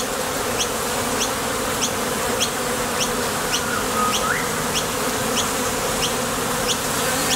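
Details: At the mouth of a top bar hive, honey bees fly out to seek nectar and land on return; their thick, unbroken humming drone fills the recording, with light high-pitched ticks at regular intervals and a short rising whistle midway.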